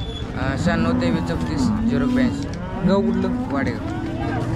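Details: Jersey cattle at the Sangola cattle market, Solapur, Maharashtra, India, 15 October 2023: two low, drawn-out moos, each rising slightly and then holding steady, separated by about a second, with crowd noise behind.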